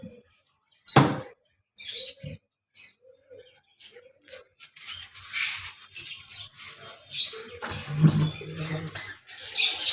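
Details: Nabhi, a pet dog, crying from fear of being left alone indoors: short, soft, mid-pitched whimpers in separate bursts, with a sharp knock near the start and a person talking in the later half.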